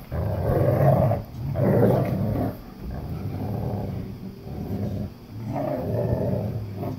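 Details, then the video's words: Playful growling from a little German Shepherd puppy and an English Cream Golden Retriever in a tug of war battle: deep rumbling growls, two strong bursts in the first seconds, then steadier lower growling and a final swell. "Tug of War Battle - Little German Shepherd Puppy Vs. English Cream Golden Retriever"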